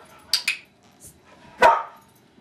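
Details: Dogs at Christmas 2010, two huskies and a yellow Labrador, barking while older dogs teach a young husky puppy; two quick sharp yelps, then one louder bark, with people talking and giving commands.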